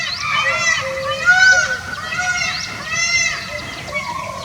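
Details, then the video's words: Chital (spotted deer) in Tadoba Andhari Tiger Reserve, April, give shrill, honking distress calls about once a second, stressed by a nearby tiger in the heat; sambar also alarm-calling. "That's a spotted deer distress call."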